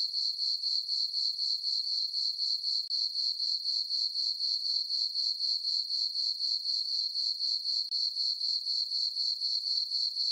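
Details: Chorus of crickets on a farm meadow during a calm summer night with a full moon, a constant high-pitched ringing broken into regular pulses about four each second, steady throughout, with no other animals or noise.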